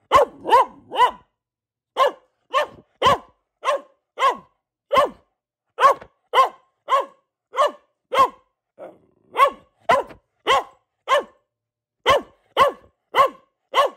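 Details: Rapid, evenly spaced barks from Luna, a household Boxer bitch, almost two per second for fourteen seconds, with one softer, muffled bark midway and no background noise.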